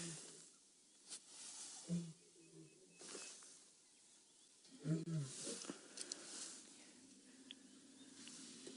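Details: Adult male lion with a darkening mane, on the move during a morning drive on 2 November 2016, contact calling, possibly to relocate his pride; low grunting moans near 2 and 5 seconds, with insects and background hiss.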